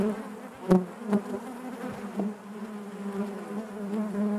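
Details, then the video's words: Honey bees humming within the hive, a constant low buzz broken by a few short sharp knocks early on, then a smooth, even drone of many insects carrying through to the end. "bees therapy hive natural buzzing sound"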